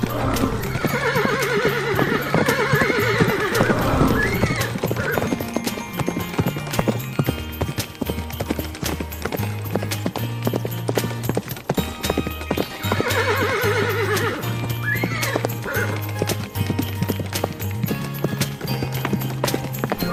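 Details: Horse gives long, wavering whinnies near the start and again midway, while hooves clop steadily and background music plays throughout.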